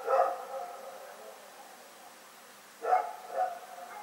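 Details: Barking dog named Rex at night, February 27, 2018: one bark fading into a long echoing tail, nearly two seconds of quiet hum, then a closing pair of barks half a second apart.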